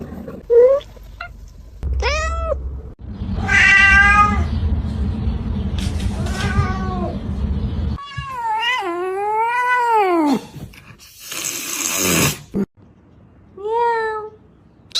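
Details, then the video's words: Domestic cats in a compilation of funny cat sounds: a series of separate meows, some short and rising, others long and wavering with a falling-rising bend, cut between with abrupt gaps and bursts of noise. "ranking funny cat sounds"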